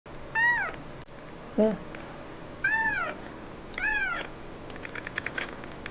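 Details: Kitten crying indoors, a male that stops only when touched: three clear arched meows rising then falling, about one per second, plus a brief lower chirp, with faint clicks and soft Korean speech toward the end.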